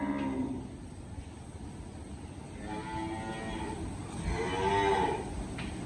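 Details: Sold cattle leaving the farm on a loaded vehicle; three separate lowing moos, short and then longer, spread across the clip over steady engine rumble and a constant high hum.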